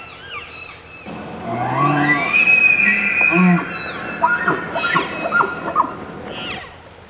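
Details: A bull elk bugles in early September at the start of the fall rut, calling to challenge rivals and attract cows, with a rising whistled scream over low grunts, then shorter squealing notes, echoing through forest.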